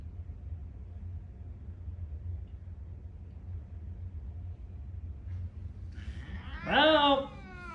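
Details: Indoor Ragdoll cat reacting to a visiting cat, with a sudden harsh, breathy hiss merging into a brief falling growl-like yowl near the end after several quiet seconds of low room hum.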